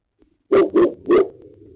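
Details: Boerboels, three of them, provoked by other dogs; three loud deep barks in quick succession, the last trailing into a low rumble.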